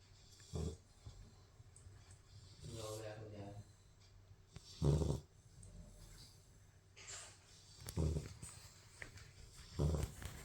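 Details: Asleep, a Labrador Retriever puppy gives deep, raspy snores at uneven gaps, about four spread through the stretch, with a short higher-pitched voiced sound partway through and soft indoor background noise.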